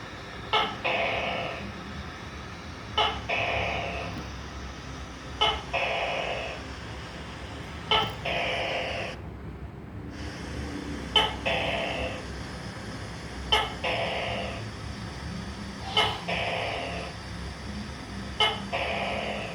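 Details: A gecko gives a steady run of calls, each a crisp click followed by a rasping, drawn-out croak. They repeat roughly every two and a half seconds over a constant low background hum, with one short silent break.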